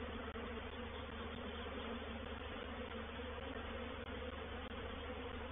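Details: Honey bees of a reproductive swarm entering a bait hive at Painted Peacock Manor on 04/07/21 make a thick, continuous droning hum. It is loud and unbroken, with a few faint clicks.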